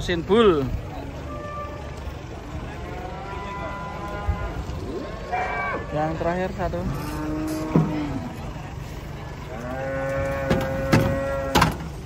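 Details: Several large cattle coming down off a truck, a string of short and longer harmonic moos from more than one animal, mixed with engine rumble, clatter and voices.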